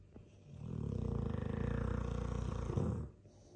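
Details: Loud snore from a sleeping Dogue de Bordeaux mastiff: a single long, rattling inhalation of about two and a half seconds, deep and vibrating, swelling then cutting off into soft background noise.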